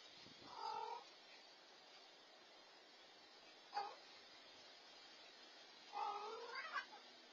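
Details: Black rescued stray tomcat, the dominant leader of his stray family, taking food from the other cats; three meows: a short wavering one, a brief clipped yowl, then a longer rising-and-falling complaint, over a low hiss of room noise.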